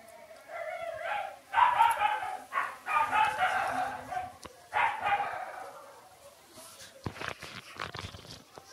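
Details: Two six-day-old Shiba Inu puppies, Ôkami and Ikkyu, make a run of short whines and squeals over about four seconds. The calls then fade into quiet, broken by scattered clicks and rustling.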